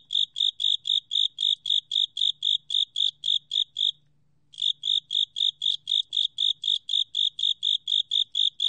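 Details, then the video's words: Japanese burrowing cricket, recorded in 2020 by the National Institute of Biological Resources: rapid, evenly repeated shrill chirps, a brief break near the middle, then the same steady chirping carries on, with a faint low hum behind. "극동귀뚜라미, 여러번 듣기, 곤충소리"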